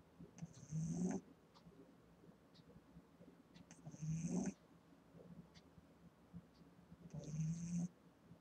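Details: Sleeping eight-week-old Boston Terrier puppy, a female, snoring loudly: three low, rasping snorts spaced roughly three seconds apart, each with a thin whistling edge, quiet breathing between.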